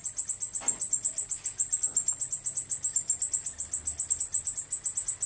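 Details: Decticus albifrons male stridulating, steady high-pitched pulsed buzz of about four pulses per second, each pulse a rasping burst, with faint background knocks.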